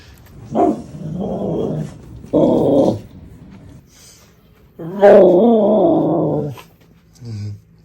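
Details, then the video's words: Happy dog giving a series of drawn-out, harmonic 'arooo' howls: three wavering vocal bursts of roughly half a second to nearly two seconds, mid-pitched with strong overtones, separated by short quiet gaps, plus a brief low grunt at the end. "Happy Dog Sounds - Arooo"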